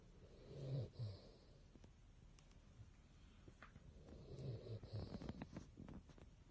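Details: Male Basset Hound snoring while asleep: two soft, low rumbling snore breaths about three and a half seconds apart, quiet overall, with faint background noise between them.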